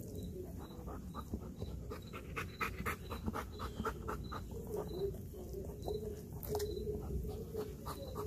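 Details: Kayne, a Belgian Malinois, breathes in quick, rhythmic pants after a workout while devouring a whole raw chicken up close, with sharp crunching and tearing sounds between breaths.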